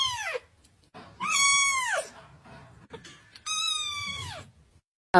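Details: A cat gives three loud, drawn-out meows, each arching up and then sliding downward, spaced about a second apart, with faint background noise in the gaps and a sudden burst of sound at the very end.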